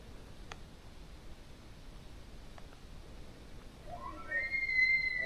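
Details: In September, a bull elk's bugle rises into a high, clear whistle after a few quiet seconds of faint ticks.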